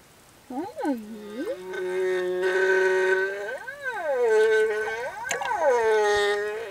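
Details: Singing male humpback whale escorting a female and her calf near reefs, producing long moaning tonal units that swoop up and down, with rich harmonics and sustained mid-pitched notes, one note after another without pause.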